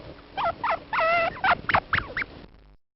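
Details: Plains viscacha from Argentina giving a quick series of short calls over about two seconds: several clear tonal notes with stacked overtones, then sharper rising chirps, the sequence cutting off abruptly.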